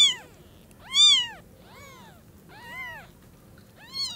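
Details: Tiny kittens whose eyes have just opened mewing as they see their mother for the first time: five arched, high-pitched meows roughly one per second, alternating loud and softer, in a quiet indoor setting.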